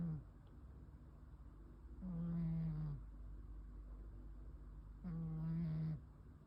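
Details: Sleeping domestic cat snoring indoors on 9 May 2026: rasping buzzy snores of about one second, each with a steady low pitch that sags slightly at the end, heard at two and five seconds in a quiet room.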